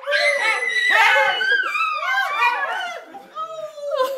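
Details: Zoe, a pet female Siberian Husky, greets her owners on their return from a trip, something she does every time. Loud, continuous wavering whines and yodel-like glides rise and fall in a small indoor room.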